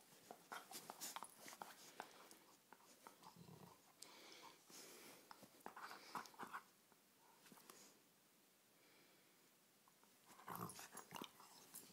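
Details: A dog rough-housing in play indoors; bursts of snorting, huffing and scuffling noises come in uneven clusters, with quieter gaps between them and a final flurry near the end.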